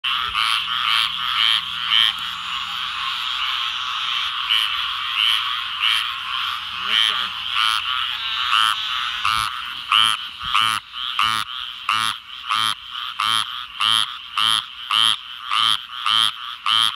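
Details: A dense chorus of frogs in southern Georgia, brought out by darkness after a heavy rainstorm: bright, pulsing croaks with a steady high trill beneath.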